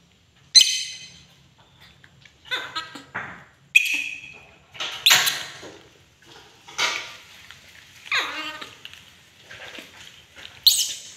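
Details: Angry pet monkey indoors giving a series of harsh, high screeches and chattering squeals, bursts every second or so with short pauses, some notes sliding downward; room otherwise quiet.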